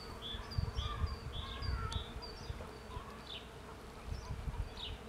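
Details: Soft, even hum of bees foraging for pollen in a cherry tree, accompanied by rapid high-pitched bird chirps early on and a light wind rumble.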